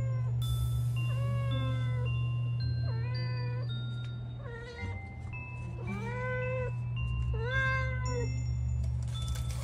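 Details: Domestic cat meowing repeatedly: drawn-out, wavering meows that rise and fall, coming about every second or two, over steady background music with a low hum and bright tones.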